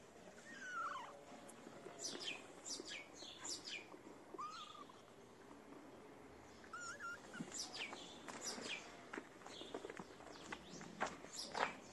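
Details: Feral kittens, homeless in the cold, come out for food, giving short, thin rising-and-falling mews near the first, fourth and seventh seconds over a dense background of sharp bird chirps and faint voices.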